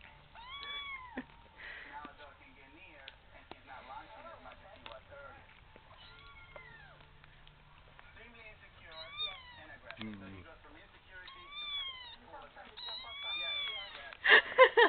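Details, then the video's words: Tiny female kitten determined to get ice cream, begging with squeaky little mews: a persistent series of high, arched, rise-and-fall mews, many in quick pairs, among human talk, rustling and a loud thump near the end. "Kitten Begging"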